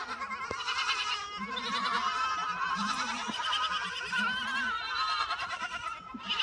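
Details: Lambs bleating almost without pause, several wavering, quavering voices overlapping into a dense chorus of nasal calls, with some lower calls briefly joining.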